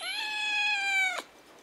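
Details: Kitten that mistook a roll cake for a snack and tasted it, giving one long steady meow with clear overtones, held level for about a second before breaking off abruptly.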